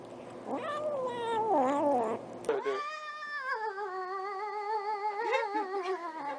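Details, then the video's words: Cat making weird noises: a wavering, warbling yowl that rises and dips, then a second long drawn-out moaning yowl with wobbling pitch, over faint background music. "Cats Who Make Weird Noises!"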